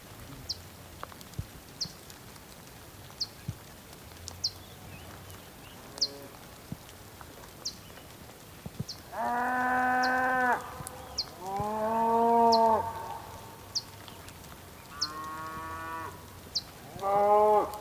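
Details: Bulls on a rainy day on the Patagonian plain, Tierra del Fuego, Argentina: after a quiet stretch of soft background ticks, four loud, rich moos follow one another over the last eight seconds.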